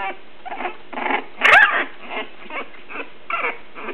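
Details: English Bulldog puppies three weeks old, playing in a litter: short whimpering yelps and squeaky whines, one louder rising-falling squeal near the middle, followed by softer intermittent whines.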